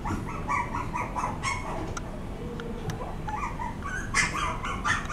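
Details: Dog sounds recorded in a pet shop: high, harmonic whining yelps repeat irregularly over a steady low background hum, with several calls overlapping near the middle and a sharper burst toward the end.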